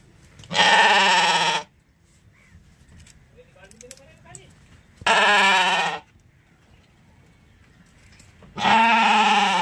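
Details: A sheep gives three loud, wavering bleats, each about a second long, with quiet pauses between.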